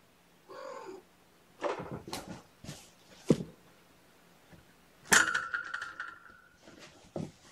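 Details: Nappish kittens stirring awake indoors beside a person, giving a brief harmonic mew early, then rustling and clicks, followed by a longer, steady, high drawn-out cry and more handling noise.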